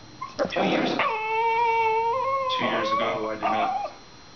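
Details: A male Shiba Inu guarding bones he won't share makes high-pitched, drawn-out whining howls with a steady, slightly rising pitch at a pestering Chihuahua, acting tough but not aggressive.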